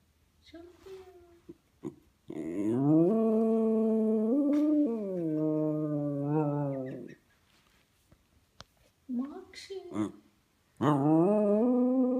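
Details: Buddy, a five-year-old male West Highland White Terrier, howls for his best friends indoors in a small room: long, wavering, harmonic tones held for several seconds, then a pause and shorter rising howls that resume.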